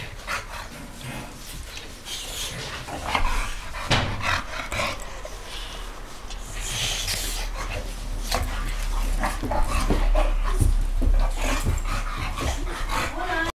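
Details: Dogs, a Boxer and a French bulldog, fighting: harsh, rough snarling and growling in irregular broadband bursts, loud and continuous throughout, with scuffling noise mixed in.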